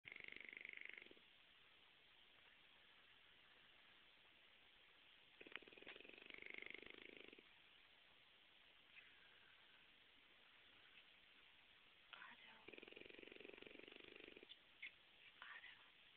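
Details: Pet French Bulldog snoring, which the dog does all the time, even when awake: low rasping snore bursts at intervals of several seconds, each lasting one to two seconds, over a steady hiss.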